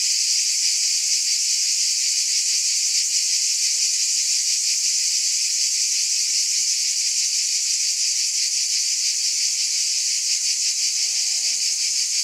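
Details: Constant shrill cicada buzz, a thick hissing wall of sound that barely varies, with a faint brief tonal call near the end.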